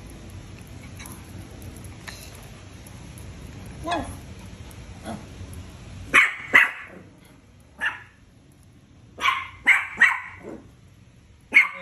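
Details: Deer head chihuahuas at 4:30 in the morning, giving sharp high-pitched yapping barks in irregular bursts, mostly clustered in the second half after a quiet start with faint softer sounds and low background hum.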